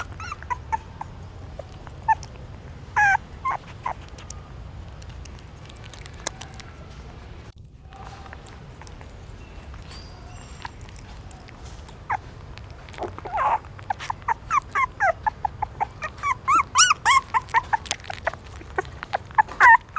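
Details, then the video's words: Hungry newborn puppies feeding from their mother at a pagoda stupa in Siem Reap, Cambodia; scattered soft squeaks and sucking clicks early, building to a quick series of sharp whimpers and yelps near the end. "Amazing puppies sucking mom milk that is natural feeding"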